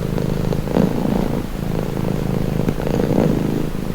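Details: Domestic cat purring in a calming, relaxing recording: a low, steady rumble that swells and fades with each breath, about every two and a half seconds, with no other sounds.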